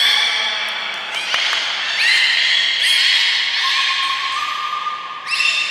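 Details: Aquarium beluga at Port of Nagoya, 19 May 2021, morning health check ahead of public training: overlapping squeaky harmonic calls with small upward bends, a lower steady tone near the end, then a sharp rising squeal.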